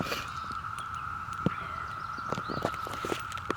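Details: Brood V cicada chorus in Ohio, June 2016, adult males calling for female mates among many cicadas: a steady, unbroken high droning hum, with scattered footsteps and rustling clicks over it.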